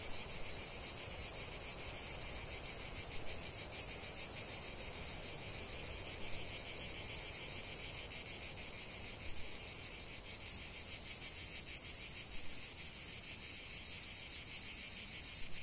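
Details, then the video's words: Cicada song in a natural setting, a dense high-pitched pulsing whir that fades a little midway, then abruptly intensifies again and continues steadily. "45 min de chant des cigales"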